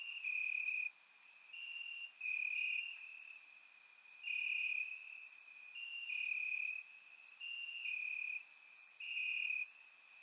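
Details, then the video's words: Night chorus of crickets in Bulgarian grass on a warm summer evening, surround-recorded: shrill sustained trill rising and falling in loudness, strong pulses near every second with short gaps between, several callers overlapping. "Cricket Sounds - Crickets Chirping at Night"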